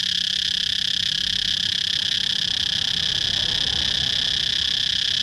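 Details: A cicada chorus gives off a dense, even, high whine without pause. A faint low-frequency murmur rises slightly near the end.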